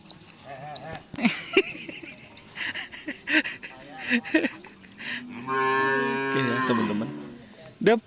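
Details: Several seconds of chatter and laughter give way to a long, even, low bellow from white Karapan Sapi cattle of Sapudi Island, held over a second before fading back into voices.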